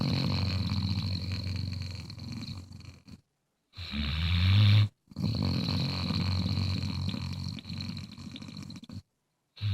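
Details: A Bluetick Coonhound snores in deep, rumbling breaths, with brief silent gaps between them.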